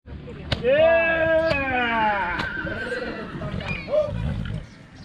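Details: Horse for sale at Vicovu de Sus, Romania, giving a loud harmonic whinny that arches and then slides down in a long falling tail, with a shorter rising call near the end and clicks and voices behind.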